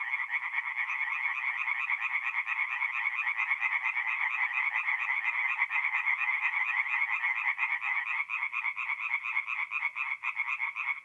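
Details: Tree frog chorus at night on a forest pond in north-east Italy, mid-April: dense, fast-pulsed croaks from many frogs, steady at first, then becoming slightly more broken and uneven toward the end.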